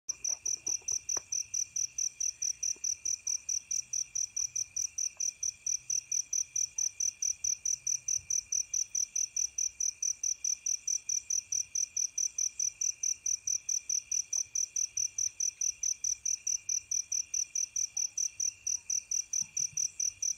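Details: Fighting crickets give a shrill, steady chirping at night, pulsing a little over twice a second.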